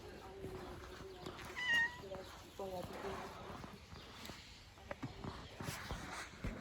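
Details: Street cats being fed outdoors meow in short, tonal calls with clear overtones, a bright one near the two-second mark, while a person talks to them in Turkish and background noise hums.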